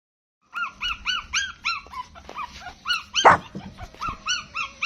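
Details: Newborn puppies nursing from their mother make rapid high arched squeaks and whines, about three a second, several pups overlapping, with one brief louder yelp midway.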